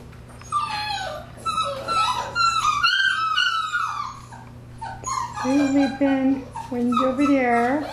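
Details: Kayce's nine Labrador Retriever puppies, six weeks old, fill a house with a long run of high, sliding whimpers and yips, several pups calling at once, with a woman speaking Spanish and a steady low hum beneath.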